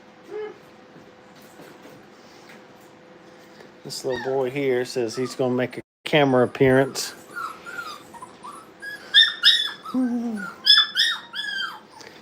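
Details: Brittany puppies at playtime in a training kennel: high, wavering whines and yelps in short bursts, rising and falling, following a stretch of low human speech and handling noise.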